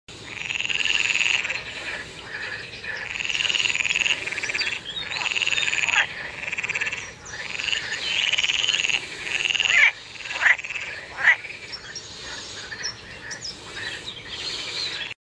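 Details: Frogs in water call in a dense chorus of high, buzzy trills that pulse in repeated bursts.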